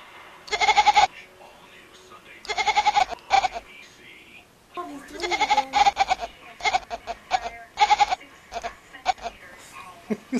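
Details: Domestic cat making repeated short bleating calls that sound like a baby goat, uttered in bursts of several quick nasal notes, one group about every second or two, with people laughing and talking between the calls.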